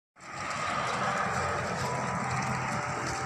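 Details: Steady broadband engine-like roar and hum that starts abruptly and continues unchanged, with no animal voice.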